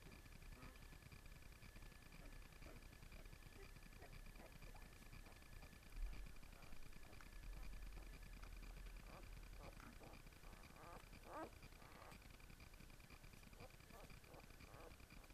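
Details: Nine-day-old Basenji puppies from one litter, all healthy, make faint, high squeaks and whimpers in short, scattered bursts.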